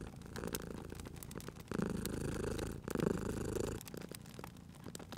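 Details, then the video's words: Domestic cat purring by a crackling fire: a loud, low rumble rises for two long breaths in the middle, then fades, with dry crackles and snaps from the fireplace throughout. "Cute Purring Cat at a Crackling Fireplace"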